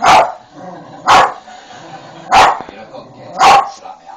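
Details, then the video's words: Poppy, a pet dog, barking at Paul O'Grady on the television: four loud, sharp barks spaced about one second apart, with faint voices in the background. "Poppy barking at paul ogrady"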